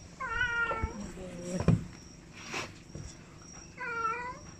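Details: Domestic cat giving two drawn-out harmonic meows, the first longer and slightly falling, the second after a pause of about three seconds, with soft background rustling and a faint steady hum.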